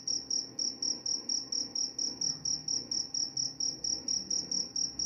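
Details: Shrill cricket chirps pulse evenly about four per second, a bright metallic high-pitched tone over a low murmur of background noise.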